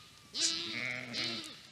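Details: Mother Urmerino ewe on a Portuguese sheep farm during a dry spell, calling over and over for her lamb, which finally returns to her. One long, quavering, nasal bleat that dips and then swells again.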